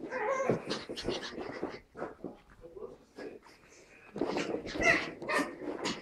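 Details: Two puppies, a Pug named Tilda and a Chihuahua named Roz, playing together indoors: bursts of rough, whiny growls and yips come in two busy clusters around a quieter middle stretch, with a human voice now and then.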